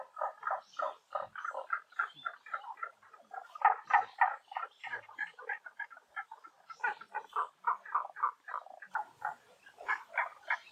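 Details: Chorus of frogs at a temple pond at Honen-in, Kyoto, in spring cherry blossom season: dense runs of short, chuckling croaks, several callers overlapping at roughly three to four notes per second.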